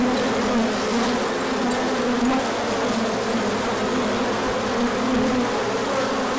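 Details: Many honeybees swarming out for an orientation flight when the sun returned after a cold spell, March 2024; a continuous thick buzz with layered humming pitches that drift and shift as individual bees pass.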